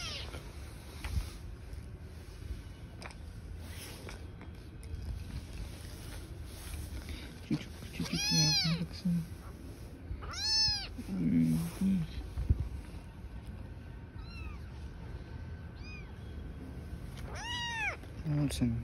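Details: Street-living mother cat and newborn kittens: scattered short high meows between 8 and 18 seconds, some in quick pairs, with people talking in Turkish and low background rumble.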